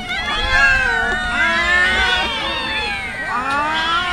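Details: A group of hungry street cats being fed tuna cry out in continuous overlapping meows, their wavering calls curving upward and downward in a steady clamour.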